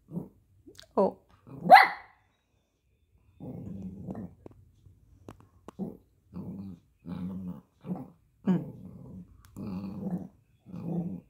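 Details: Poodle puppies relaxing at home, giving repeated low rumbling growls in short bursts about every second, with a higher whine or yelp early on.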